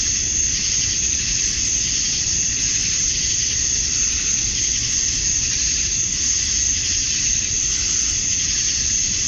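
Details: Summer-dusk chorus of male cicadas in Georgia, USA, chirping to draw females: a continuous shrill hiss-like buzz at high pitch, swelling faintly around the middle and end but never breaking, with no other clear sounds.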